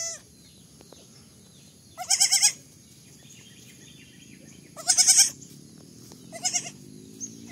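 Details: Three trembling, high-pitched bleats from baby goats, arriving roughly every two to three seconds, the last one shorter and softer, over a faint low background hum.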